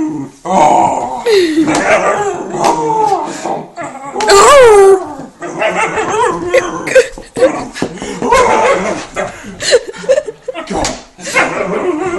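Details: Whippet in a funny dog compilation making short yips and a wavering, rising-and-falling whine near the middle, amid irregular noisy bursts and clattering sounds.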